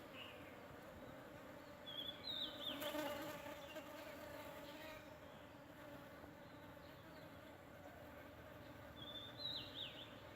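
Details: Honeybees visiting a sandpaper vine in full bloom in rural Thailand, with no added human sound: a steady, continuous droning buzz with a low humming tone throughout, plus two brief high chirps from a bird.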